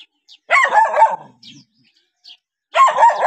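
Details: Dog reacting to a stranger gives a rough, somewhat muffled barking burst, then after a pause a second quick run of barks.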